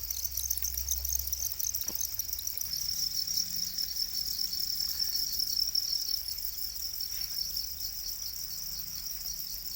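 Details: Domesticated black crickets, also called Para crickets, in a dense chorus of high, shimmering, pulsed chirps that run without a break, with a faint low rumble underneath.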